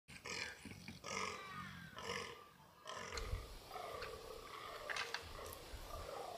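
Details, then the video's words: Free-range fallow deer bucks during the rut in the mountains of New South Wales, Australia, stalked on foot; a series of deep, raspy, belching groans repeated roughly every second, then quieter rough calls with a faint bird whistle. "Fallow & Red Deer Rut"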